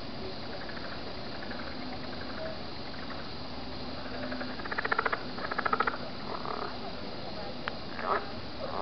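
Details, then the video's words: Frogs at a lake on a warm night under a full moon, unusually noisy, give short bursts of rapid, raspy pulses over a steady hiss, with people talking at the end of a dock. "frog noise.AVI"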